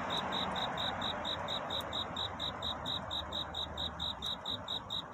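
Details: Night courtship song of a cricket seeking love near dawn: a clear string of high, even chirp pulses, roughly three to four each second, with soft background hiss and faint low hum.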